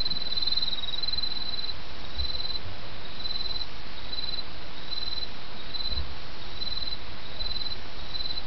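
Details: High-pitched chirping of autumn insects against a babbling brook, with short trilled bursts repeated about every half second in a steady rhythm and continuous water noise underneath.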